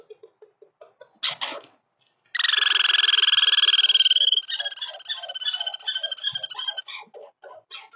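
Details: Male and female Douglas squirrels in a territorial dispute: a few short scratchy notes, then a loud, rapid, buzzy trill lasting about two seconds, then a run of quicker, softer chattering pulses that fades out.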